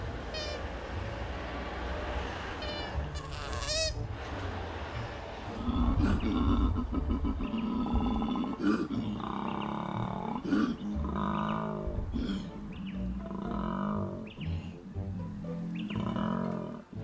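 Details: Koala bellowing: after a few seconds of higher chirpy, squeaky notes, a deep, pulsing low grunt-snore sets in and repeats in rough rhythmic bursts, each throbbing pulse following closely on the last until the end.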